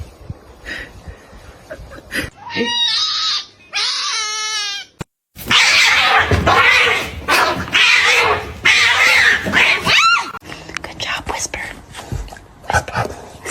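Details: Kitten meowing indoors: a few short, wavering high meows, then a long stretch of harsh, noisy scratchy sound with brief clicks and knocks.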